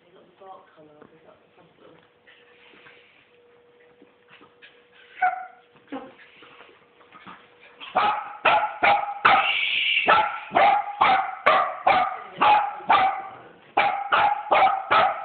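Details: Miniature wirehaired dachshunds, a mother and son playing tug of war, with quiet scuffling first, then a fast run of sharp barks about three per second, loud and steady to the end.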